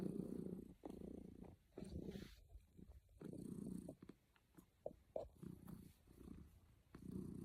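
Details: Domestic cat purring contentedly while snuggling, steady low rumble in inhale-exhale pulses about a second long, a few soft clicks in between.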